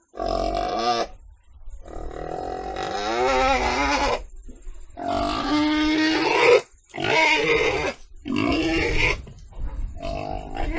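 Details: Pig vocalising in a run of loud, rasping squeals mixed with shorter grunting sounds, the cries rising and falling in pitch with only brief pauses.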